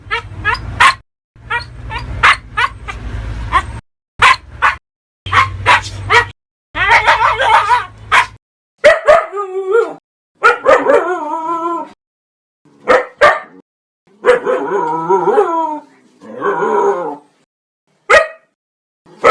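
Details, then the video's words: Dog barking aggressively, a dense, irregular volley of sharp barks and yips, some clustered rapidly, with a low hum under the early barks and later whining, wavering yelps. "Hundebellen, Bellender hund sound, Hunde bellen"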